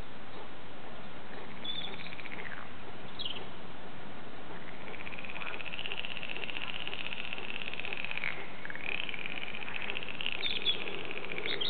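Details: Frogs calling at the Warande in Tilburg: a drawn-out, wavering chorus swells and dips for several seconds, with a few brief higher chirps early on, over a constant hiss of background noise.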